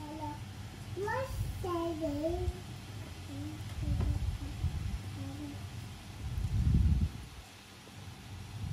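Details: Norwegian Forest Cat meowing cutely while hugging someone indoors; a run of short rising and falling meows in the first two and a half seconds, followed by low thumps and handling noise.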